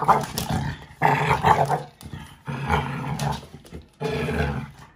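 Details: Five-month-old American Bully puppy playing with a five-year-old American Staffordshire Terrier, growling as it takes the toy while the adult gives in; rough throaty growls in four bursts about a second long, separated by brief pauses.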